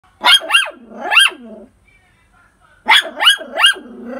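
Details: Poodle barking in two quick bursts of three sharp, high yapping barks, each bark rising then falling, separated by a short quiet pause.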